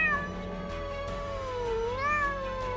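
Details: Cat giving one long, wavering meow that dips lower in pitch and then rises again over nearly three seconds, with soft background music.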